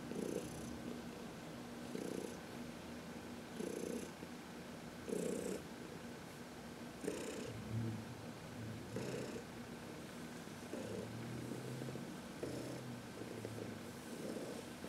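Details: Heidi, a senior domestic cat about 14 years old adopted from the Humane Society of New York City, purring contentedly while massaged in the sun on March 19, 2021; rhythmic purr bursts repeat roughly every one and a half to two seconds, steady low hum between.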